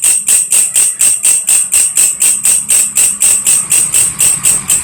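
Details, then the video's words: Belalang kerik, or belalang kecek, a grasshopper whose voice serves as tutor sound for lovebirds, giving a bright, ringing, high-pitched pulse roughly twice each second in a regular train, with faint low rumble underneath. "SUARA BELALANG KECEK / WALANG KERIK"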